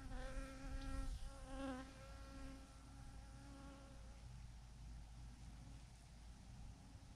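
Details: Massive swarm of thousands of bees clinging in a clump to a branch; a close, pitched whining drone with wavering harmonics dominates the first four seconds, then fades into a softer background hum and low rumble.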